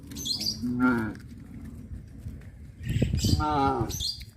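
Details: Cows on a traditional village farm walking along the road to the pen in the afternoon, giving two loud moos, each rising then falling, about two seconds apart, amid low rumbling background noise.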